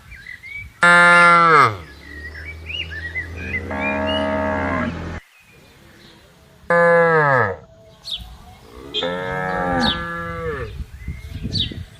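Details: Grazing cows in a wide countryside pasture, shared with buffaloes, give four long lowing moos. Some are loud and sharply rising at the start, others lower and held, with brief bird chirps heard in the pauses.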